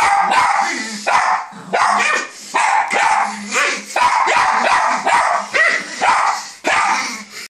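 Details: An angry Chihuahua gives a steady series of about a dozen sharp, high yapping barks roughly every half second, with a low growling undertone between some of them.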